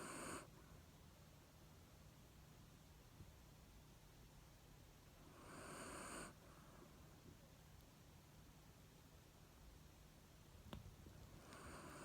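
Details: A female black Shiba Inu, recently moved to a new home in Fukuoka, naps while being stroked and snores softly, with a breathy hiss returning about every five to six seconds.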